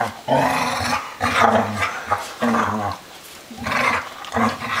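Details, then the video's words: Loud play growls from three dogs romping, low throaty rumbles repeated about once a second in rough bursts, each rising into a snarl and then dropping away, with a brief quieter gap midway. "Noisy Dogs"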